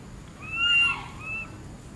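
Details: Tiny baby monkey Berry calls for its mother with a piercing whistled cry, held steady then dropping briefly, and a second shorter wail after a pause, over a low background hum.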